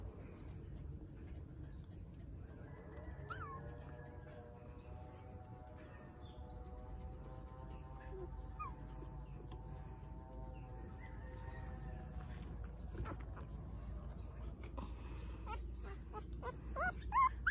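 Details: A 10-day-old newborn Shih Tzu–Aspin mix puppy gives a long, thin, wavering whine while small birds chirp steadily in the background.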